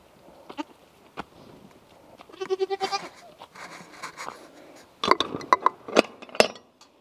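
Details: Young French Alpine goats at bottle feeding give a short, quavering bleat, then a few higher nasal bleats later. Sucking and clicking noises and handling sounds run between the calls.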